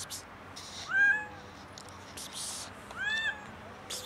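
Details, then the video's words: Two bright, arching meows from a hungry kitten near a cat lounging on a car, the second coming about two seconds after the first, with short noisy rustles around them. "Cat is chilling on a car while another hungry kitten shows up"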